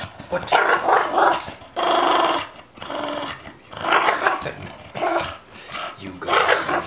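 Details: Female Olde English Bulldogge playing with a ball stuck in her teeth; repeated rough, throaty growls and grumbling moans in bursts of about a second, several in a row, with brief pauses between them.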